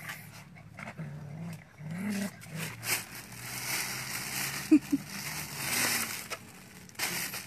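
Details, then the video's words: Pet puppies give soft, low whimpering sounds, with a couple of sharp clicks midway and steady background noise. "Anak-anak Anjing lucu saya"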